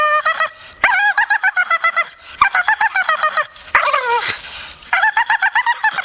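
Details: Grumpy Staffordshire Bull Terrier making rapid stuttering grumbles, strings of quick pulsed whines at a steady pitch, with one drawn-out falling moan midway.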